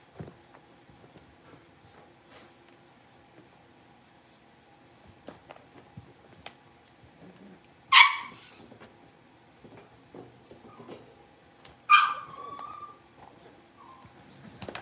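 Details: Blenheim Cavalier King Charles Spaniel puppies, a litter of five born at New Year's, in an indoor pen after moving to a bigger one. Two sharp, high yips sound about four seconds apart, the second trailing into a brief whine, amid quiet room rustles.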